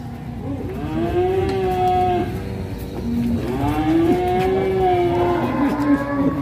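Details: Cattle rampaging out of control while ploughing; two long, drawn-out moos, one from about one to two seconds and another from about three to six seconds, each a steady harmonic tone that bends slightly, over a low rumbling background.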